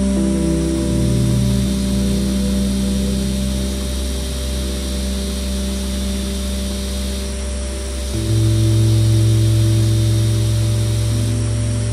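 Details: Only steady, droning background music with low sustained tones that shift once partway through; no animal voice is heard.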